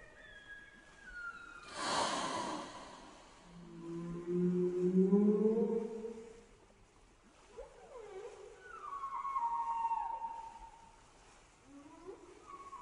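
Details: Whale underwater giving rising harmonic moans and downward-sweeping whistles, with a loud broadband blast near the start and several shorter gliding tones later.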